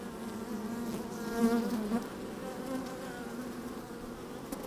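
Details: Honey bees moving inside an opened hive, microphone slid in among them on a sunny, breezy day: low continuous hum with a louder close buzz rising and fading around the middle, then settling back.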